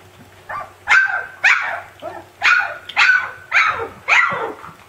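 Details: Siberian Husky puppy yelling at its siblings: a run of seven sharp, high, falling yelps and barks, roughly two each second, loud and close, with little else audible.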